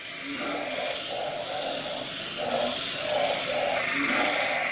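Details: Small narrow-mouthed frog with a loud voice, recorded close up with a Nikon camera while inflating its body; low hollow croaks pulse about twice a second amid overlapping callers, with a steady high insect-like hum above.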